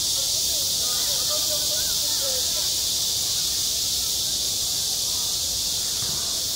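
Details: Midsummer cicadas calling at a schoolyard, their continuous piercing buzz holding level throughout, while brief faint wavering tones appear early on under the drone.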